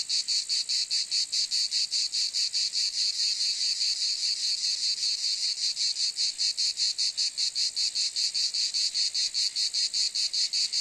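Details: A continuous, piercing cicada drone, high and metallic, rapidly pulsing in a regular throb, loud and steady from start to finish with no other sounds.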